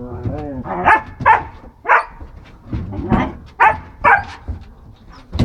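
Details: German Shepherd mother, jealous of her puppy, pushes it under a bench with her forehead because she wants to be petted herself. Short yelping barks come about twice a second, mixed with a person talking nearby.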